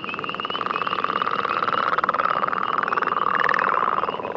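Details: Northern leopard frog, a species heard mostly on agricultural land, giving a continuous low snoring rattle of rapid pulses with a steady tone throughout.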